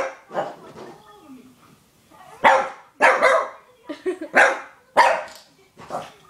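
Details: Cruzz, a young Shih Tzu, objecting to a Budweiser bottle with bursts of loud, harsh barks, some coming in quick pairs, separated by pauses, while a human voice speaks over parts of the barking.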